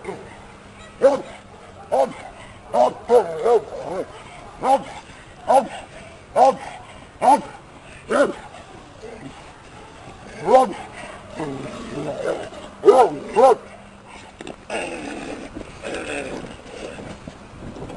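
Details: A working Bandog Mastiff from Lucero lines during protection training; deep, resonant barks repeated roughly once a second, with a quicker cluster near the end, while a man talks in the background.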